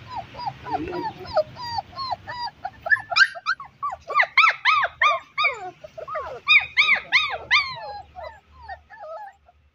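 German Shepherd puppies give high, arching yelps and squeaky barks in quick, overlapping bursts.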